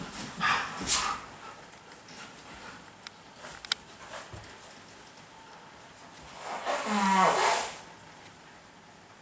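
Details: Siberian Husky 雷凪, surprised by sneezing and a blocked, runny nose: two brief huffs early on, a quiet pause, then a drawn-out, wavering whiny vocalization lasting about a second near the close.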